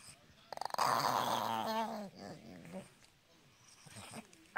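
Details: Pet dog producing a gremlin-like noise: a rough, warbling growl-whine lasting about two seconds, followed by quieter rumbling and faint background sounds.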